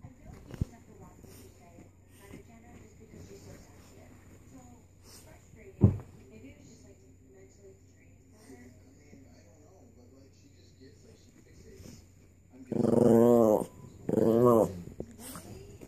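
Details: Chihuahua. After a quiet stretch with faint room noise and a single sharp knock, a Chihuahua gives two loud, rasping snarls with a wobbling pitch. The growls come in quick succession as it guards a bone.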